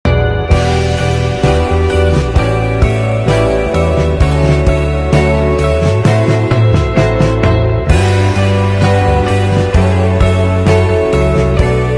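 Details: Dense band music with steady bass, drums and bright guitar chords plays throughout, broken only by a brief drop before a loud restart.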